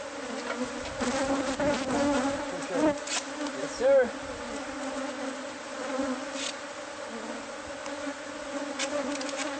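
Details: Bees from a hive hidden inside the walls of a newly bought house, during removal by pest control: a steady low droning hum with a clear overtone layer, with scattered clicks and knocks from the work.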